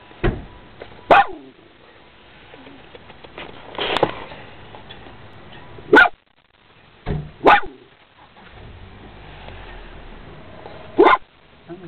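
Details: Female Dachshund barking at people nearby, sharp single barks spaced irregularly every one to three seconds over twelve seconds, with squeaking from a person trying to get her attention and faint voices.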